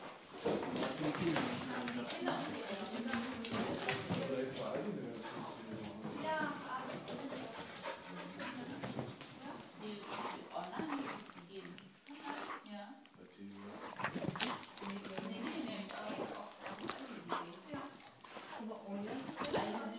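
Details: Two dogs, a Weimaraner and another dog, fight, growling, snarling and whimpering in short rough bursts while human voices run almost throughout the struggle.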